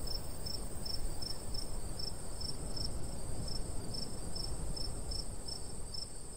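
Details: Countryside crickets in summer beside golden wheat: crisp high chirps repeat roughly three times a second at an even rhythm, over a faint steady whine and light breeze.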